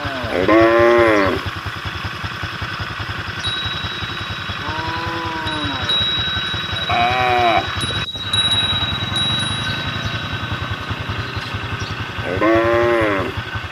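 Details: Cattle on a road calling to the herd: four short, arched, harmonic moos spaced several seconds apart, over a steady low throbbing engine hum and faint high whines.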